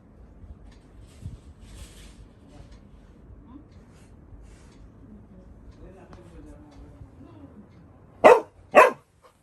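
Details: A Labrador retriever puppy gives two sharp, loud barks in quick succession, demanding that the door be opened after realizing his brother has come home.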